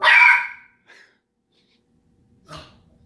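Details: Petunia, a pet dog, barking at Daisy, another household pet, indoors: one loud, harsh, broad bark, a brief quieter yelp, then a second shorter bark about two seconds later, with silence between.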